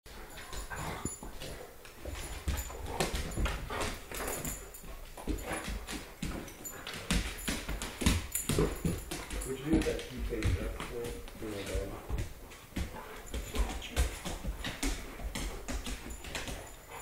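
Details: Two wolfdog puppies about one year old, a Timber Wolf Malamute mix and a Rottweiler Timber Wolf mix, playing indoors; dense scuffling with rough growls, yips and whimpers, plus human speech at times.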